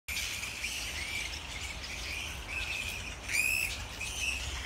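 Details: Wild grey-headed flying fox colony in Sydney, Australia, heard on an evening hike: a steady wash of high, scratchy chatter, with a sharp harmonic screech near the middle and a shorter squeal near the end.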